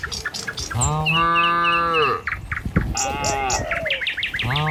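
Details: Herd of tame cattle walking a village road to the pen in the morning; one steady, mid-pitched moo lasting over a second, then shorter lowing calls, while birds chirp repeatedly above and faint hoof and road noises continue.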